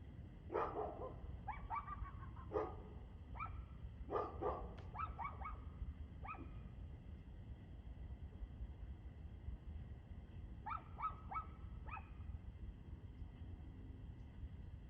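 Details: A dog barks repeatedly on the evening of 2/6/2024 at 6:02 pm: loud, irregular volleys of barks in the first six seconds, a pause, then a quieter group of four, over steady low rumble.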